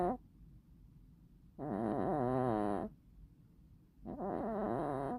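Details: A bicolor cat with hachiware markings snores in its sleep, giving two long, raspy, tonal breaths with a wobbling pitch and a quiet gap between them, in an otherwise silent room.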